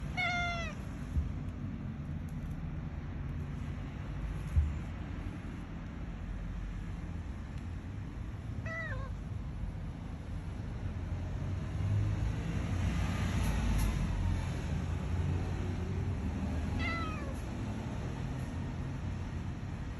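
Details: Former stray cat meowing because it wants to go outside; three separate meows at about 1, 9 and 17 seconds, each a short falling wail with rich harmonics, over steady low rumbling background noise.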